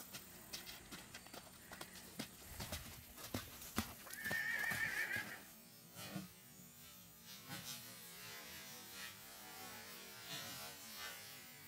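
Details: A three-month-old Friesian colt, born June 2016, gives a short high whinny with a wavering tone lasting about a second, amid scattered hoof clops and thuds before and quieter background noise after.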